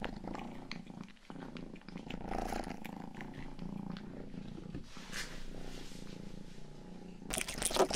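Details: Domestic cat Rangi, youngest in the home, purring close to the microphone indoors; a continuous low, even rumble with occasional soft licking and rubbing noises, ending in a brief burst of rustling.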